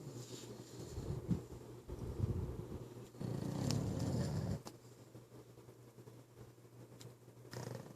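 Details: Pit bull named Kai snoring while asleep indoors: low rumbling breaths swelling and fading in uneven waves, loudest in a long drawn-out snore near the middle.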